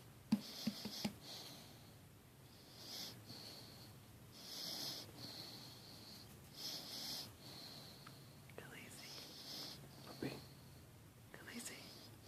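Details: Great Dane mix puppy deep asleep and sawing logs, giving breathy, hissing snores roughly every two seconds over a faint low rumble, recorded indoors.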